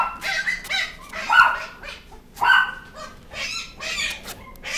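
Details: Beagle barking in uneven bursts of ringing, yelping bays, a few longer drawn notes among shorter yips, with faint human voices in the background.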